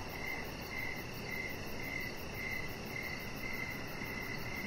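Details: Crickets chirping outside in the evening beside a resting chihuahua puppy; brief trilled chirps recur in a quick regular beat over constant low background noise.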